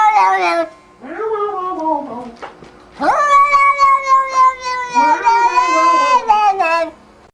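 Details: Cat giving short downward-sliding meows, then a long steady yowl held for about four seconds with a wavering tail and a final falling note.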